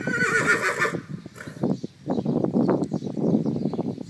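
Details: Percheron horse, a one-year-old filly, giving a short high whinny that breaks off abruptly, followed by a run of irregular hoof clops and shuffling.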